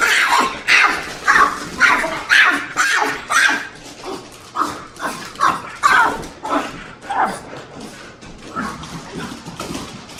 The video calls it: French Bulldog makes crazy noises